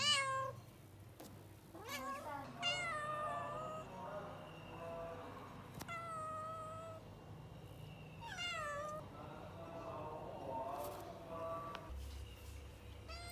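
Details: Cat sounds: a run of plaintive meows, some short and sharp, others long and wavering, with soft background noise and a low hum throughout.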